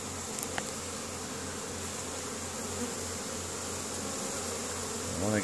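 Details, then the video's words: Honey bees hard at work on a spring day, 10 May 2015, in Caribou, Nova Scotia, Canada, bringing in pollen; an even, low hum of the bees with a few sharp clicks, and a man's voice starting at the end. "Honey Bees spring foraging"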